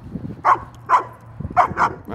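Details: Ellie, a 75-pound female German Shepherd, barks for attention at a dog park while playing with a 110-pound male Doberman and Boone, a 135-pound male Great Dane. She gives two sharp barks, a pause, then a quick pair, over a low hum.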